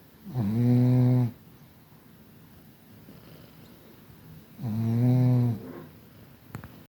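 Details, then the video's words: Two evenly droning snores about four seconds apart from Kira, a Chihuahua in Tver from the Kastropulo kennel in Crimea, each under a second with a rough onset, quiet hiss between, and a faint click at the end. "Храпушка Кира из Твери привет выпускник питомника чихуахуа Кастропуло Крым"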